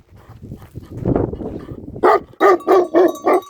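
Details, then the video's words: Tibetan Mastiff shepherd dog at a sheep farm in Nepal; after two seconds of low rumbling noise, five deep, loud barks follow rapidly. "भेडा गोठको भोटे कुकुर || Shepherd Dog Of Sheep Farm || Tibetan Mastiff In Nepal"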